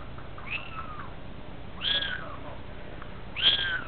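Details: Young Munchkin kittens kept in a playpen, a dog nearby: three thin rising-falling meows, about one every 1.5 seconds, indoors.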